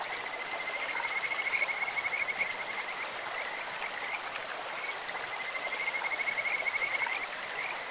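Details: In a clear-running stream, Kajika frogs give a bird- or insect-like voice: sustained, even trilled whistles, two runs a few seconds apart, set against steady broadband water noise.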